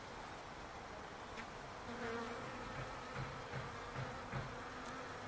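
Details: Bees in a palo verde tree in a backyard. A low droning hum with steady harmonic bands swells in short buzzing bursts through the middle and second half, over a constant background hiss.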